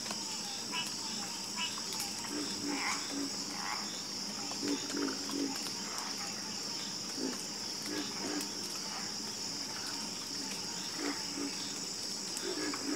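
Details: Several frogs croak in a harmonious chorus: low, short, knocking calls come in loose clusters, some doubled, beneath a continuous high-pitched insect drone.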